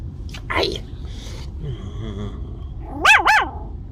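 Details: Seven-week-old female Maltese puppy named Heather makes a short yelp and soft murmuring sounds, then two quick high arched barks near the end, with a faint low background hum.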